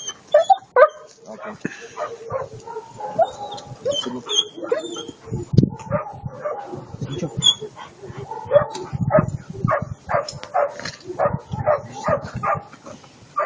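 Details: An eight-month-old German Shepherd puppy named Attila ot Salmoxis barks and yips in quick, uneven bursts for over thirteen seconds, mixing short sharp notes with lower grumbling sounds, while a person talks now and then.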